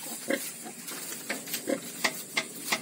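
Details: Newborn piglets on a farm, part of a litter of ten: short squeaky squeals and grunts in quick bursts, a few sharper high squeaks toward the end.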